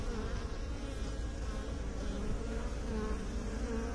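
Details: Bees from beekeepers' hives producing an even, deep humming buzz, a dense mass of low drones with faint wavering overtones, steady in loudness.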